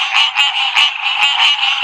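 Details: Male green tree frog calling: a loud, dense, nasal buzzing that throbs in pulses about four times a second, bright and continuous throughout.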